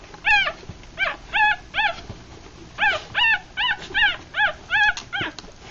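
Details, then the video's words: Feeding three-day-old puppies with eyes still closed, a Rat Terrier and Chihuahua cross litter; short, high arched whimpers in quick bursts, a brief pause midway, then a fast steady run of squeaks. "3 Day Old Puppies"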